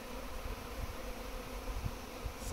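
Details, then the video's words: Massive bee swarm that suddenly settled in a backyard garden, later collected by a local beekeeper; a steady, low droning hum with a faint overtone band, over rumbling background noise. "Massive BEE swarm in Garden"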